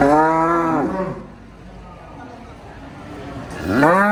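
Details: A cow gives a long, deep moo that fades out. After a quiet stretch of about three seconds, a second low moo begins and rises in pitch.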